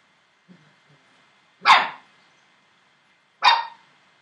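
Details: Entlebucher Mountain Dog puppies, seven weeks old: two sharp, loud single barks about two seconds apart, preceded by faint small squeaks, in a quiet room.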